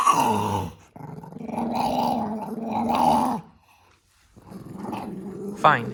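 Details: Pet dog grumbling at being filmed indoors, two drawn-out rumbling growls, a short silence, then a rising whiny growl mixed with a person's voice.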